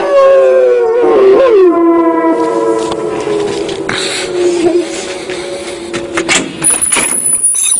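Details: Rottweilers howling: long, wavering, harmonic-rich tones that bend and slide downward, then hold and waver over several seconds before fading, with a thin high whine near the end.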